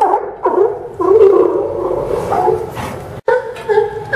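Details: Several sea lions barking at the Newport Sea Lion Docks, Port of Newport Town Dock, Yaquina Bay pier, Newport, Oregon, on September 20, 2015; hoarse, harmonic barks come in quick, overlapping bursts, with brief pauses between volleys.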